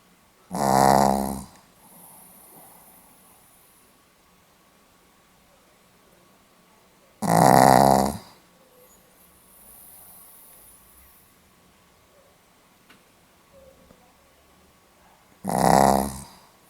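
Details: Sleeping Pomeranian dog snoring indoors, recorded 8 November 2015; three loud rasping snores about seven to eight seconds apart, each under a second long, with faint softer breaths between in a quiet room.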